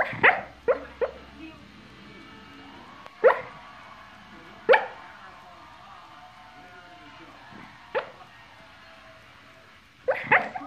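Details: A dog barking in its sleep: short, muffled, sharp woofs come in irregular bursts, roughly eight across eleven seconds, with some closely paired and long quiet gaps between them.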